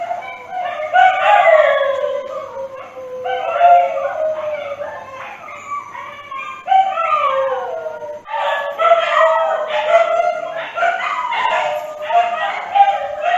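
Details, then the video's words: Dogs howling in overlapping voices, long wavering tones that slide downward, several animals rising and falling together with louder surges around the eighth second; no other sounds stand out. "เสียงหมาร้องโหยหวน - Dog Sound Effect"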